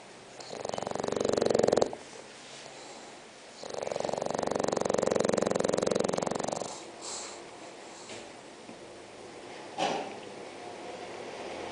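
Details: Spock, a six-month-old bulldog, snores while asleep: two long rasping, rattling breaths lasting about one and a half and three seconds, followed by quieter breathing with a brief snort near the end.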